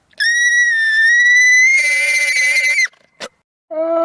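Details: Alpaca giving a long, shrill, steady whistled cry that rises slightly in pitch over almost three seconds, followed by a short click and the start of a second, lower-pitched call.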